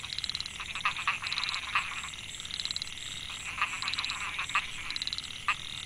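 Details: Chorus of Microhyla pulchra, narrow-mouthed frogs, in a Chiang Mai rice field, Thailand, recorded 2014. Male calls that draw females: short buzzy trills and sharper clicks from several frogs overlapping, with a constant thin high-pitched drone behind.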